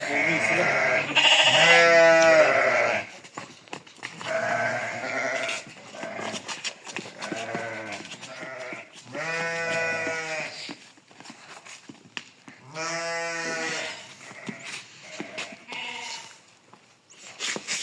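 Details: Domestic sheep during shearing for wool: three loud, drawn-out nasal bleats about a second long, roughly every four to five seconds. Men talk quietly in between, with handling and clipping noises.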